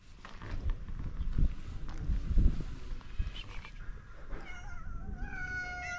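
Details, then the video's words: Stray cats on a street in Morocco asking for food: after a few seconds of low rumbling background noise, a short series of high, drawn-out meows with bright overtones rises and falls near the end. "Stray cats ask us for food with cute meows."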